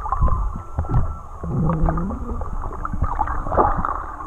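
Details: Whale song recorded underwater while swimming with whales in Tonga. Low moaning tones dip and sweep upward, with shorter higher squeals and a steady hum. Heavy crackling and low water rumble continue throughout.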